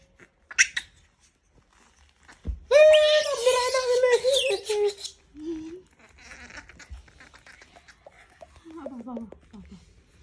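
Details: Harsh, prolonged scream from a monkey being disturbed, raspy and wavering for over two seconds, followed by shorter rising whines and low background noise.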